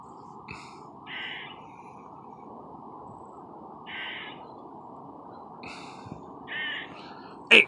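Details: Squirrel calling out from a tree: short harsh nasal barks repeated in pairs several times, with steady broadband background hiss and a sharp click at the end.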